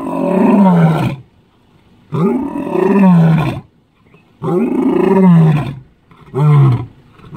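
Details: Lion roaring in the African bush, four deep, moaning roars in seven seconds, each a low, drawn-out groan that falls in pitch, separated by short silences.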